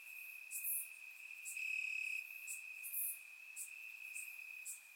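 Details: Crickets in grass, Bulgaria, warm summer night, surround microphone recording; a constant shrill trill at even volume, briefly stronger near the second mark, with bright chirp accents scattered throughout.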